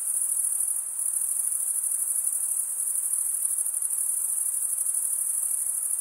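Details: Stridulating crickets, wings scraped over comb-like teeth, give a thin, very high trill of rapid steady pulses, briefly dipping near the first second, otherwise constant.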